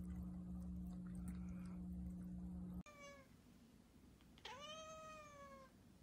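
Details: Domestic cat giving two meows: a short steady tonal call, then a longer one that rises sharply and slowly falls away, both rich in harmonics; before them a steady low hum and indoor rustling.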